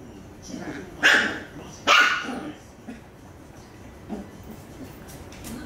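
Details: Puppy fighting a toy it can no longer pull free, giving two sharp high barks about a second apart near the start, followed by softer scuffling and a faint yelp later; background quiet.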